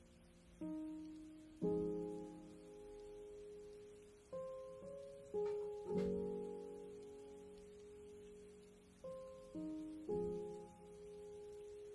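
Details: Plucked acoustic guitar notes ring out in slow, decaying phrases of two or three notes each, separated by short pauses, with no animal sound present.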